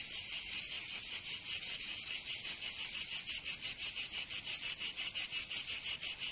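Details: Cicadas singing in summer in Provence, southern France: a dense, loud buzzing drone pulsing about three times per second in steady rhythm, with no other sounds.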